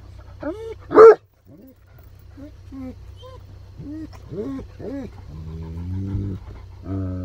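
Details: Excited Great Pyrenees in a car heading to a rainy-day walk at Harvest Walk mall in Oyama, Japan: one sharp loud bark early, then a string of curved, nasal whines and drawn-out moans over low engine hum.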